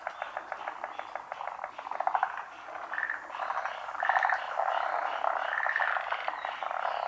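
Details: Chorus of forest green tree frogs, endemic to Japan, spawning at midday on branches above still water during the rainy season. A quick run of evenly spaced clicks opens, then dense grating croaks overlap and swell.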